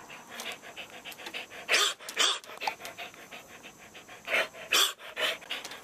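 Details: A devocalized show dog gives hoarse, breathy, airy barks with no clear tone, a few seconds apart, while quick, steady panting-like huffs continue between them.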